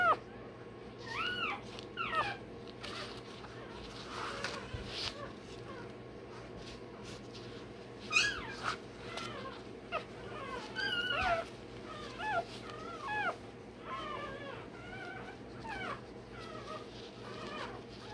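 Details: Newborn Rottweiler puppy, one day old, crying while its tail and dewclaws are done. Repeated short squeaky yelps and wavering whines come in clusters, mixed with handling clicks and rustles against a low indoor hum.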